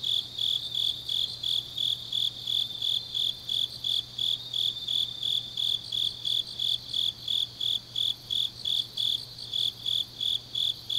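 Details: Autumn night chorus of grass insects recorded in Changnyeong, South Korea, a regular high-pitched chirp repeating roughly every third of a second, backed by a softer shimmering trill and a faint steady low drone.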